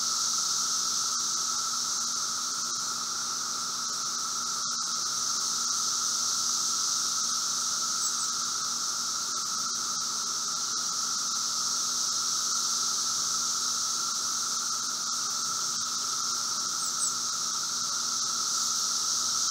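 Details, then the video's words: Brood V periodical cicadas, seventeen-year emergence, recorded outside a residence in Logan, Ohio, late spring 2016 afternoon: a dull, level roar at mid pitch beneath a high shimmering band that pulses gently in slow waves, with one faint click. "Audio: Brood V 17 year Magicicada periodical cicadas in Logan, Ohio"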